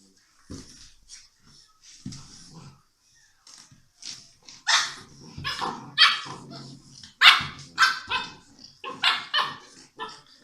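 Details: Six-week-old English Mastiff puppies from a Czech kennel play together, giving a busy run of short, high yappy barks and yips with low growly bits, irregular and rising in density toward the end.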